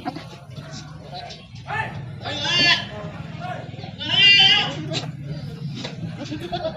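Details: Goats on a goat farm in Bhadrak give two loud, quavering, wavering bleats, the first near the middle and a stronger second one shortly after, while people talk and music plays underneath.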